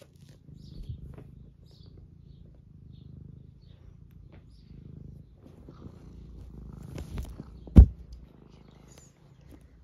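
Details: Being stroked, Eric, a UK domestic tabby aged 11 with semi long hair, gives a quiet rumbling purr rising and falling in breath-length waves, broken by brief rustling and one sharp tap about two-thirds through.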